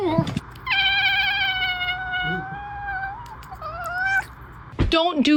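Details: Orange domestic cat giving a long, drawn-out wailing meow of steady pitch for over two seconds, then a shorter rising meow, with people laughing and talking and a child's cry at the end.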